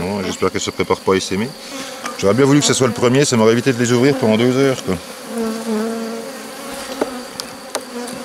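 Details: Honey bees at a drone-laying hive being rescued with a brood frame and nurse bees from a defensive neighbouring hive, 3 May 2021: close, loud buzzing bursts with gliding pitch for five seconds, then a steadier, softer hum.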